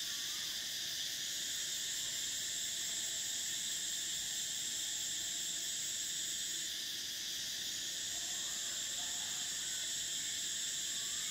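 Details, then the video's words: Summer cicadas droning in a dense, unbroken high-pitched chorus, a steady shrill hiss whose brightest band shifts slightly in pitch around the seventh second, with nothing else clearly heard. "Cicadas: the sound of summer"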